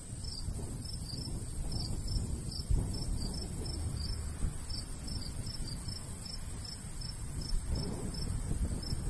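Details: Crickets chirping in a summertime wheat field in the countryside. Bright, high, brief pulses repeat in loose groups across the stretch while a light breeze rumbles and swells faintly below.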